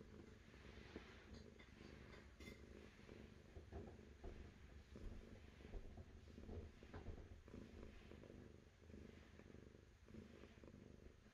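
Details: Domestic cat purring, a continuous low rumble concentrated in the deep register, swelling and easing in a loose rhythm with each breath, accompanied by faint background hiss and occasional soft clicks.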